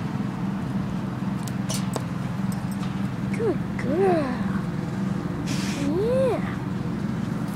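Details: Boxer named Trigger, a female, making funny noises: three short arched, whining yelps that rise and fall in pitch, spaced over a few seconds, over a steady low hum and brief clicks.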